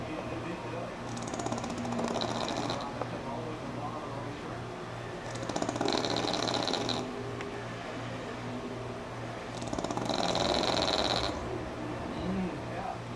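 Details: Sammi, a pug, asleep through a NASCAR broadcast: three long, rasping snore bursts roughly every four to five seconds, each lasting over a second, over a steady hum and background commentary.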